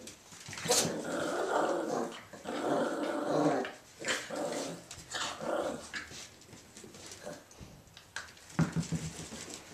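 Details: Irish Jack Russell Terrier male puppies Mushroom, Portobello and Patty play-fighting indoors at Violet Meadow Farm; rough, throaty growls rise and fall in bursts over several seconds, with scrabbling paws and brief human words near the end.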